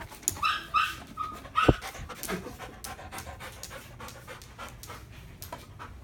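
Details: Freshly bathed and groomed Old English Sheepdog panting in quick, breathy, rhythmic puffs that continue steadily, with a few brief clicks and squeaks near the start.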